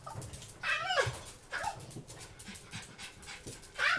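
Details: A female Blenheim Cavalier King Charles Spaniel, born 2010, with Chiari-like malformation, hydrocephalus and syringomyelia, gives sharp, high yelping screams about 15 minutes into a pain attack from chronic pain.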